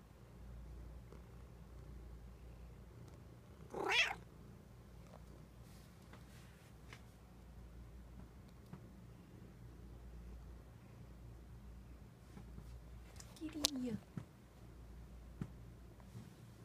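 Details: A sleepy pet cat meowing softly: two short, faint meows about ten seconds apart, each rising then falling, over a quiet low hum with a few light clicks.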